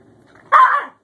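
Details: Newly adopted male Scottish Terrier, Bjorn, meeting his older sister Savannah as early tension turns into play: one loud, harsh bark lasting under half a second, mid-pitched and noisy, in an otherwise quiet room.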